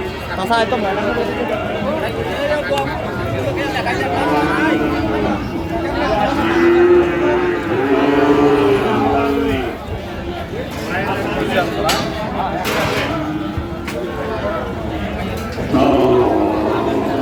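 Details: Sahiwal bull calves sold at Amabari cattle market in Dinajpur, Bangladesh, on the first day of Ramadan 2025. Low, drawn-out moos with steady harmonics rise between four and ten seconds over constant crowd chatter and bargaining voices.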